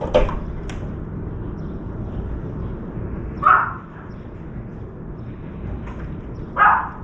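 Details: Puppy barking as a crow soaks stolen meat in a water bowl before flying off to the woods; short sharp barks spaced about three seconds apart over steady low background noise.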